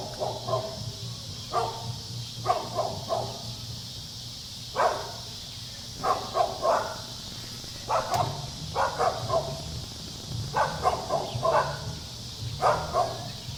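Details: Playful dog romping with children, barking in irregular bursts of two or three yaps, some single barks, spread across the clip with constant low-pitched background rumble.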